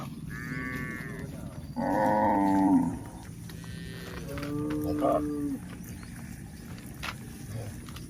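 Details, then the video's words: Cattle moving along a rural hill give two clear moos early on, one short and one longer and louder, followed by fainter lowing and scattered rustling. "Charming Cows on the Move: Hill Journey with Funny Sounds and Gentle Footsteps"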